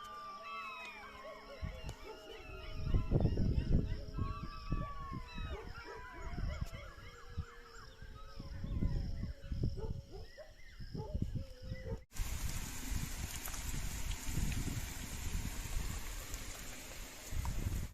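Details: A chorus of jackals howls during the call to prayer (Azan) in a village, many high wavering voices overlapping and gliding up and down together.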